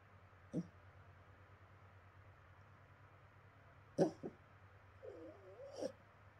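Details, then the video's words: A West Highland White Terrier puppy asleep and dreaming lets out a few short, muffled yips spaced seconds apart, then a wavering, rising-and-falling whine, over a quiet indoor hum. "westie puppy sleeping ,dreaming&barking"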